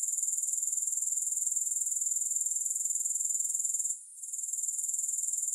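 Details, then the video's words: Continuous shrill grasshopper chorus, no music, pulsing evenly at roughly four beats per second. It drops away briefly around the fourth second, then resumes at full strength. "Grass Hopper Sounds"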